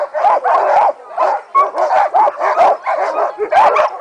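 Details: Sled dogs of the Mahoosuc team, eager before the run, give a rapid series of yelping barks, several each second, with short gaps and brief whining notes between bursts.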